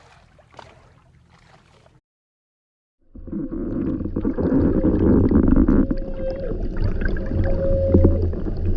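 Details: A humpback whale on its summer feeding grounds in Alaska, North Pacific, recorded underwater during feeding, gives drawn-out tonal moans over a heavy rumble of water noise.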